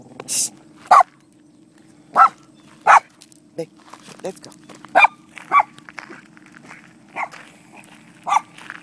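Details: Miniature Poodle named Romeo meeting horses for the first time while visiting Bristow, Virginia; short, sharp barks burst out irregularly, about eight across nine seconds, over a low steady hum.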